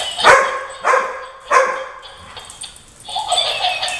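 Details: A German Shorthaired Pointer, kept with a Weimaraner, reacts to a laughing dog toy the dogs disliked with three loud, sharp barks, roughly half a second apart.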